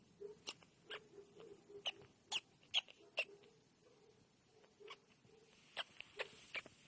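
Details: A baby squirrel that aspirated a raspberry gives sharp, thin squeaks at uneven intervals, like a squeaky toy, as it struggles to breathe during its worst moments.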